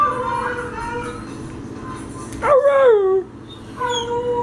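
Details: Two pet dogs at home responding to a recording of other dogs, with faint howls sounding through the room before one loud, wavering howl that slides downward and then fades.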